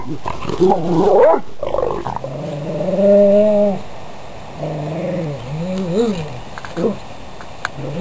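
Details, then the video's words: Playing dogs growling and grumbling: a rough burst, then sustained bending growl-moans that rise and dip, followed by shorter wobbling growls with gaps between them. "Dogs Playing"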